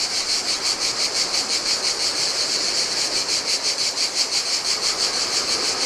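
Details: Greek island seaside cicadas singing in the heat: loud sizzling buzz swelling and fading in quick rhythmic throbs, about three each second, backed by splashing turquoise Adriatic water on the sand.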